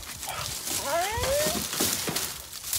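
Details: Pug hunting around for food: a brief, high, rising whine with a couple of sliding tones, against loud rustling and background noise.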